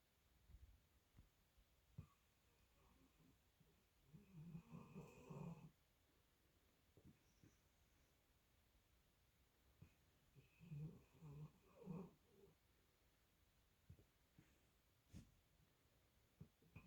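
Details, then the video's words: Sleeping female dog settling back into snoring after running in her sleep; two soft, breathy low snores several seconds apart, with faint clicks and quiet room noise between them. "dog zoomies in her sleep then back to snoring"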